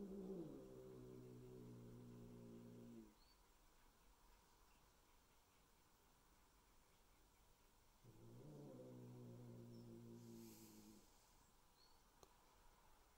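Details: Resident adult cat meeting newly introduced Bengal kittens at home: two drawn-out low growls, each about three seconds long with stacked harmonics, separated by several seconds of near silence.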